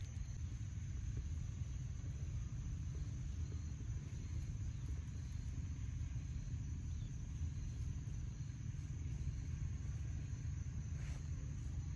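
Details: A continuous low rumble like wind or distant traffic fills the recording with steady broadband noise and no animal voice.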